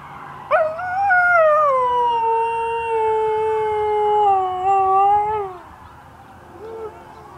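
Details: Nikki, an Alaskan Malamute, howling in response to neighborhood sirens: one long, tonal howl that jumps up sharply, sags gradually and holds a steady pitch for about five seconds before fading, followed by a brief soft whine.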